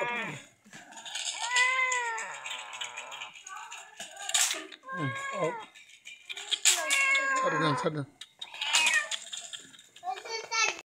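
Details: Ailing house cat receiving care from madrasa schoolgirls; loud, plaintive meows with curved, bending pitch, repeated about every two seconds, some drawn out into wailing cries, with nearby voices and handling noises.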